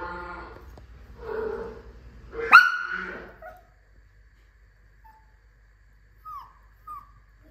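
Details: Maltese dog reacting to cat sounds indoors: a run of soft whimpering, harmonic whines, then one sharp rising yelp, a pause of near silence, and two brief high whine notes a second apart.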